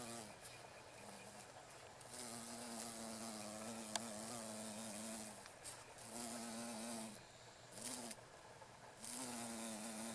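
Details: Female carpenter bees sonicating meadow-rue blossoms by a railway in Japan, mid-August 2013; repeated loud droning buzz bursts, some wavering in pitch, alternating with brief pauses over steady background hiss.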